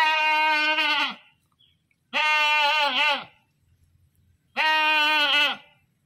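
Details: Screaming goat giving three long, loud, quavering bleats about a second each, spaced roughly two seconds apart, with silence between them.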